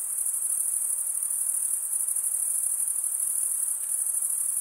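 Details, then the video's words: Crickets chirping by stridulation, wings rubbed together, as a steady, unbroken high-pitched shrill trill that holds an even pitch and loudness throughout, with a faint hiss of lower background noise and no other clear sounds. "cricket sound"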